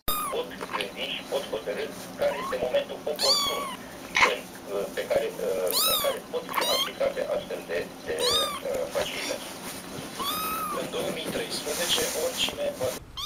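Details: Kittens meowing for attention: many short, high, rising meows in quick succession, overlapping a human voice talking throughout, in a busy room.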